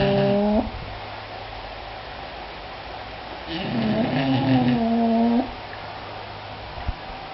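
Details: English Bulldogs Sammy and Harley snoring: a short nasal tone ends, then a long quiet gap. A raspy, buzzy breath swells into a steady droning hum for about two seconds, followed by a faint click.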